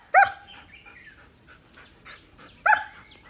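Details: Young male German Shepherd, nine months old, giving two loud single barks about two and a half seconds apart, with faint softer sounds between them.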